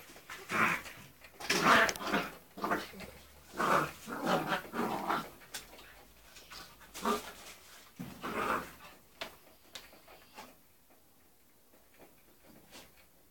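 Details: A 3-month-old English Springer Spaniel playing with ferrets indoors gives a run of short, bursting vocal sounds, several per second at first, then fading into quieter scattered clicks and rustles toward the end.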